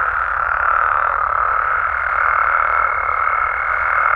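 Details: Mexican frogs and toads calling at night: a dense, unbroken chorus forming a steady mid-pitched hum, with a thin constant whistle-like tone running above it throughout.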